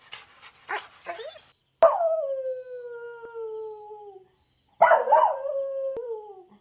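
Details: Golden Retriever puppy playing outdoors on green grass gives a few yips, then two long, drawn-out howls that slide slowly downward in pitch, each lasting over two seconds.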